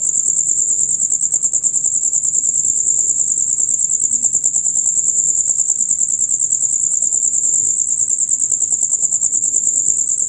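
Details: Loud, rapid chirping of male crickets, a sound of the hours from dusk until dawn: an unbroken shrill buzzing trill, evenly pulsed throughout, over a soft low background.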